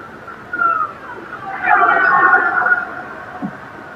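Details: Transient (Bigg's) killer whales, marine-mammal hunters that travel silently, give squeaky, wavering pulsed calls; such chatter means they have probably just made a kill and are calling to each other during the meal.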